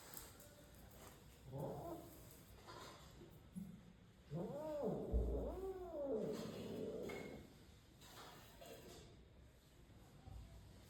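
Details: Domestic cat meowing: two drawn-out, arching, harmonic-rich meows in the middle, with softer shorter mews before and after over a low background hum.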